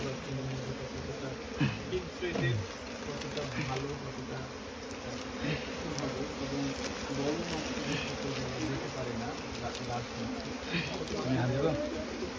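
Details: Colony of Asian honey bees (Apis cerana) inside straw, a constant low buzzing drone under intermittent Bengali conversation as people work to smoke the nest.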